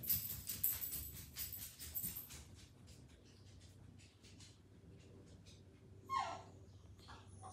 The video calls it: Funny whiny basenji dog who yells until he gets snuggled.